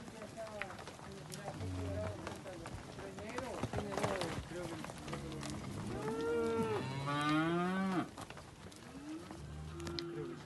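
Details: A herd of 75 steers aged one to two years, with several animals mooing and overlapping. The calls are low, drawn-out bellows, and one rises and wavers near the middle. Background rustling and knocking continue throughout.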